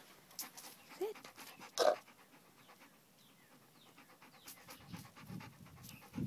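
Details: Chow-wolf hybrid dog doing tricks, panting in quick, steady breaths, with a few soft thumps and a brief low voice in the background.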